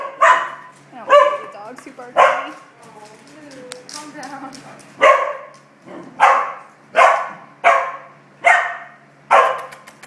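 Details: A puppy barking in short, sharp yaps, about nine loud bursts spread evenly over ten seconds, with a person talking quietly in the gaps.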